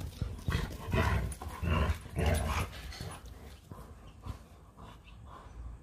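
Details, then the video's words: Play fight between Montana and Lola, a Leonberger and a Labrador; low gruff barks and growls burst out roughly every second early on, then fade to quieter huffing and scuffling. "A LEONBERGER & LABRADOR PLAY FIGHTING"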